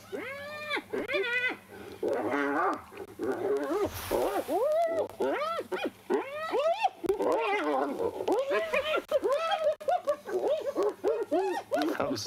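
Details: Two spotted hyenas fighting over a carcass scavenged from a leopard in a tree at Djuma Private Game Reserve, South Africa, on a sunrise drive, 1 July 2021; rapid loud arched whooping giggles and squeals, many overlapping, with people talking briefly.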